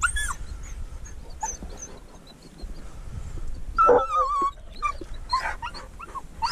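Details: Dogs on a mink hunt, a dachshund working alongside a treeing walker coonhound: excited yips and whimpers mixed with short barks, one wavering whine in the middle, over constant low outdoor rumble.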